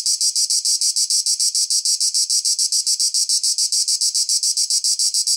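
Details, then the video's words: Cicada singing: a loud, shrill, buzzing drone pulsing steadily about three to four times per second, with no other sounds. "cicada / τζιτζίκι / τέττιξ"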